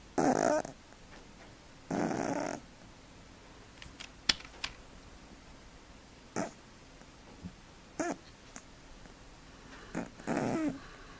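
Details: A sleeping male cat snoring: short, noisy, breathy rasps of about half a second, spaced irregularly with long quiet gaps, plus a few faint clicks in between.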